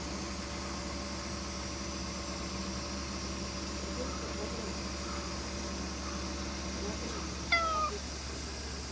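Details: A harbour cat, apparently a stray, being petted; one short, loud, falling meow with clear harmonics near the end, over a steady low hum and faint background noise.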